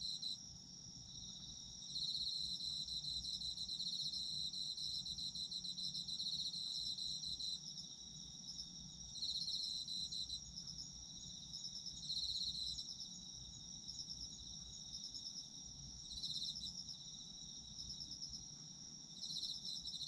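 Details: Autumn insects trilling together, a continuous high shrill buzz overlaid by pulsed chirping phrases that come and go every two to four seconds, with faint low background hum.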